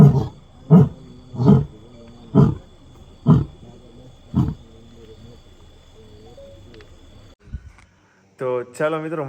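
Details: Lion encountered on a road at night: six deep grunts spaced about a second apart, slowing and fading, followed by quiet, then a brief burst of voice or music at the end.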